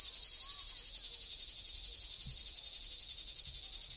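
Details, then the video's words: Loud summer cicada song, an intense high whirring pulsed in a very regular rhythm of nearly four beats per second, steady from start to finish. "Cicada sound, cicada sounds, summer cicada sound, Sounds of the cicada"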